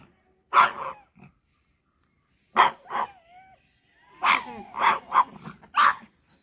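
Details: Aggressive pug barking: short, harsh single barks, then a quick run of four to five rough, clipped barks spaced about half a second apart, separated by a near-silent pause.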